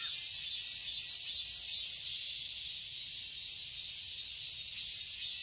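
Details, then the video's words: Cicadas in a summer garden in Seoul, Korea: a dense, high, hissing drone that throbs in soft pulses about twice a second, steady throughout with no other clear sounds. "Cicadas chirping sounds"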